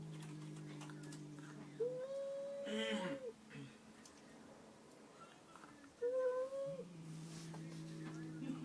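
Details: Domestic cat indoors making an odd noise after seeing a newly arrived cat in the home; two drawn-out, level moaning cries with a slight rise and fall, about four seconds apart, over a steady low droning hum, with brief noise between.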